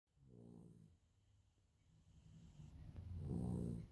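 Sleeping Labrador puppies snore: two low, rumbling, throaty snores about three seconds apart, with soft breathing between them.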